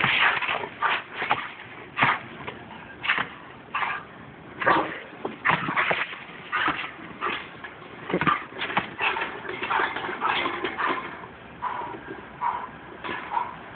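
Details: Two-year-old female German Shepherd sounding the alarm as a woman sorts recyclables: sharp barks in irregular bursts through the clip, mixed with human speech and rustling.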